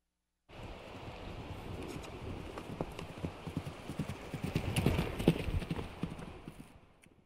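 Rapid, uneven drumming of hooves on hard ground comes from a horse at a run. The thuds swell to a loud, close peak, then quickly die away as it passes.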